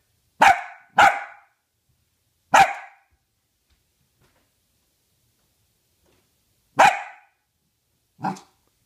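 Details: Female Dachshund being taught to count, barking five times indoors: two sharp barks close together, a third after a short pause, a long silence, then a fourth and a softer fifth.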